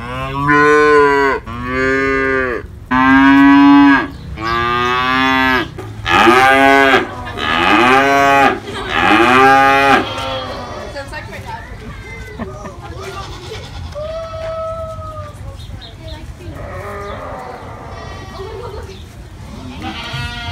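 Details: Calves and adult cows moo in a run of six loud, rich, drawn-out calls about a second each, then quieter distant moos and one thin higher call over a soft background murmur.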